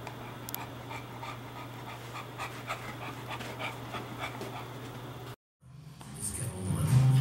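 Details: Porkchop, an English Bulldog, rests indoors with the air conditioner running to cool down after playing outside, breathing heavily in rapid rhythmic pants over a steady low hum; a brief silence, then a louder rising hum and clatter.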